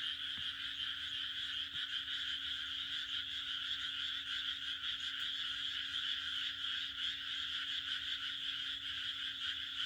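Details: Frogs croaking together on a June night in the Japanese countryside: a dense, steady wall of fast, rattling pulses in a high band, unbroken for the whole stretch, with a faint low steady hum beneath.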